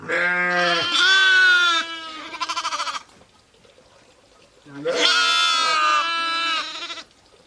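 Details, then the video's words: Bleating from sheep and lambs, two long calls each breaking into a trembling, quavering tail, with a low tone at the onset of each and a gap of quiet between them. "SOUNDS OF SHEEP AND LAMBS"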